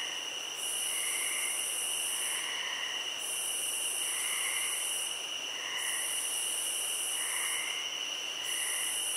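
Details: High continuous cricket trilling in a field, with a piercing upper layer switching off and on every few seconds and gentle lower chirps recurring at roughly one-second intervals.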